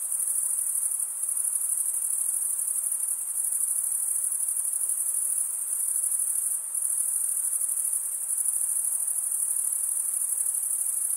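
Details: Male crickets stridulating make a dense, unbroken high trill like a shimmering hiss. It stays level throughout apart from one brief dip near the middle, and the background is otherwise quiet.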